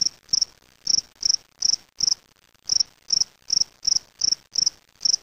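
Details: Caged spring field cricket from Waterloo, Ontario, Canada, collected May 25, 2007: bright, shrill chirps in quick succession, about thirteen in five seconds, with one longer pause near the middle and quiet background.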